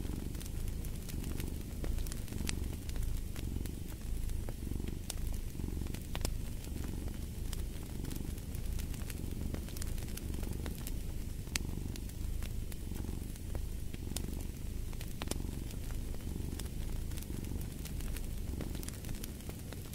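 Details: Cat purring continuously near a fireplace, a deep throbbing rumble that rises and falls about once a second in rhythm with breathing, with scattered snapping crackles of burning wood throughout.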